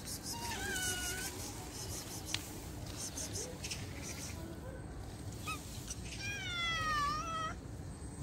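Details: Stray street cat meowing while being fed: two drawn-out harmonic meows, the first near the start and a longer one later that wavers then slides downward, over a steady low background hum with faint clicks.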